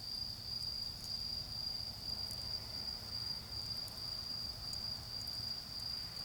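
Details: High, pulsed trilling from autumn insects fills a garden where a bonfire burns. The trill breaks into short, evenly spaced bursts over scattered fire crackles and a soft low hum.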